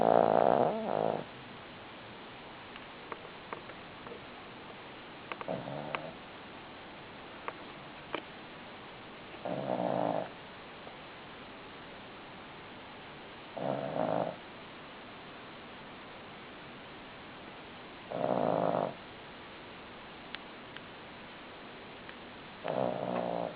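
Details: Cavalier King Charles Spaniel asleep and snoring steadily, six rough, droning snores spaced about every four seconds, with faint clicks and small indoor noises between them.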